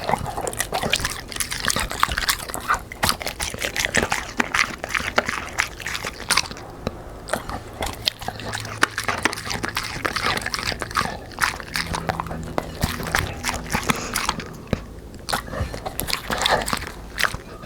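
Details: Black Labrador eating fried dough with sponge cake and vegetables: steady, wet crunching and smacking chews in rapid, irregular bursts that run throughout, with brief quieter pauses between mouthfuls.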